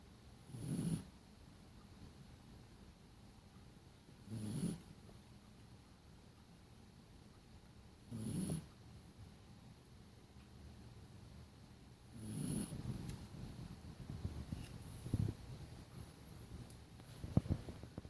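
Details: Dog sleeping and snoring steadily, five low guttural snores at regular intervals of roughly four seconds, then a few faint clicks near the end.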